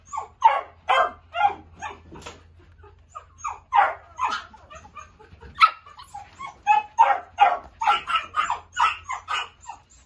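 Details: A toy poodle barks in excited bursts: roughly twenty shrill yaps with a short lull in the middle, then a faster, denser run of high barks toward the end.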